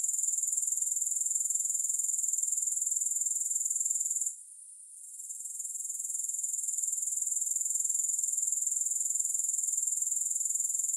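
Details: A dense, shrill insect buzz from grasshoppers, made of rapid even pulses at a high pitch, dropping out briefly just before the middle and then swelling back to full strength.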